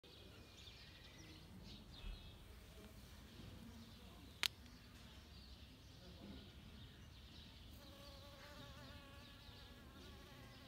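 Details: Western honey bee collecting nectar from home-grown saffron flowers in autumn in Kashmir gives a steady, droning wing buzz close by, swelling louder in the final seconds.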